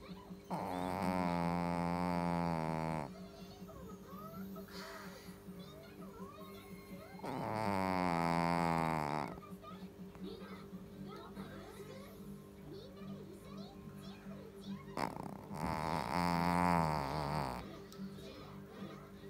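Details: A sleepy Shih Tzu snores with long, buzzy, throaty breaths roughly every seven seconds, each lasting two to three seconds, with faint high chirps in the quiet gaps.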